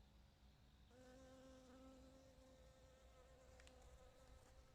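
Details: Bee collecting nectar and pollen: a steady, low, droning buzz that starts about one second in and holds for the rest, quiet against a faint background hiss.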